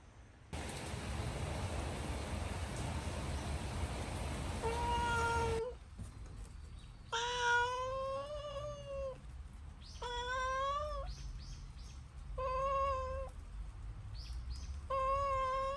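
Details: Pet cat indoors in an old Japanese house, near a cat named Luna behind a sliding door. Loud rustling and knocking, then a series of long, drawn-out rising-and-falling meows, each about a second long, with short pauses between.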